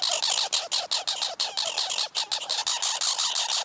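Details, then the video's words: Two squirrels, neighbours the owner thinks are siblings, chatter at each other over food in a harsh, scratchy stream of rapid, high-pitched bursts, several per second. "Chattering Squirrels"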